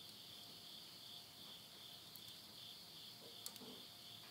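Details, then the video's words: Late-summer insect voices at midnight in rural Yurihama, Tottori, Japan, September 2020. An unbroken high-pitched ringing chorus fills the night, with faint pops and snaps from a wood fire in a stove. "the voice of insects"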